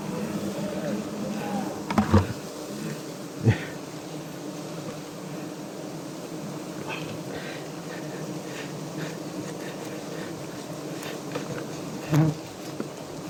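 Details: Wild honey bees at a large nest high in a tall tree while climbers harvest the honey; a steady, low, droning hum runs throughout, broken by occasional knocks and clatters.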